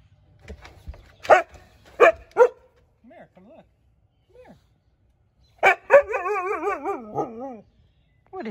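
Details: Siberian Husky named Juno reacting to a leaf blower. Sharp clipped yelps and talking comes first, then a long quavering, wobbling howl-like call rising and falling for about two seconds, with a person's voice nearby.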